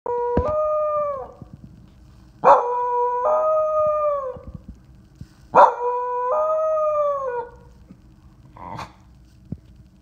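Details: An intact male dog about four years old, from a shelter and living with a foster family, howls three times, each a long, mournful wavering tone that drops at the end, followed by a short yelp.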